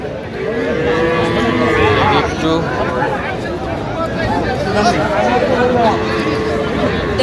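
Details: Small Sahiwal bull and heifer calves at a livestock market in Madaripur, Bangladesh, on 13 January as winter fades. Two long, steady moos sound around the first and sixth seconds amid men bargaining and crowd chatter.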